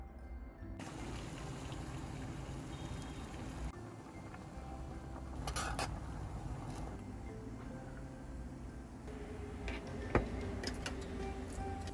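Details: Soft background music plays over quiet kitchen sounds of liquid pouring and dripping in a small room, with no animal voice.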